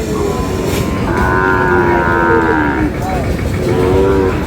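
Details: Sahiwal cattle at a cattle market in Sylhet, Bangladesh, on 22 May, where bull calves are traded: a long, drawn-out harmonic moo in the middle, with shorter low lowing before and after over steady market hubbub.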